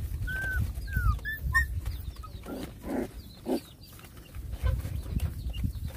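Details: Rottweiler puppies fighting with two other puppies: short rough growl-like bursts around three seconds and scattered thin whining squeaks, over steady low rumbling background noise with faint chirps.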